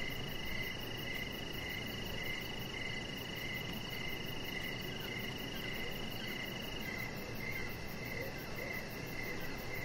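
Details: Evening chorus of crickets heard from a deck: rhythmic short chirps about twice per second, a constant shrill tone above them, very high rapid ticking, and broad background hiss.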